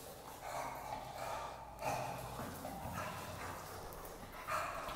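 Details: Worked-up bulldog out on a walk giving sustained tonal whining, with two sharper yelping accents near two seconds and again near four and a half seconds, over breathy background noise.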